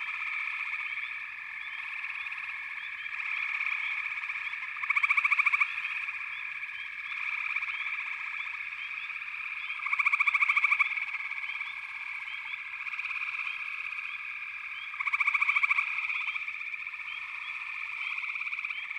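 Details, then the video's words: Backwater frog chorus: a continuous, many-voiced trilling drone, broken about every five seconds by a louder, short burst of rapid pulsed calling from a nearer frog, three bursts in all. "Backwater Chorus, & Frog Chorus"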